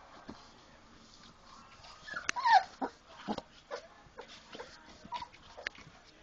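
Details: Four-week-old Labrador Retriever puppies playing after eating, giving a few short squeaky whimpers and yelps, loudest around the middle, among soft scuffling and rustling noises.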